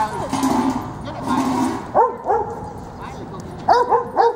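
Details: Freddie and Miley, dogs at Lakewood dog park, tugging at a toy; speech first, then quick paired barks, a short pause and a fast cluster of three or four barks at the close.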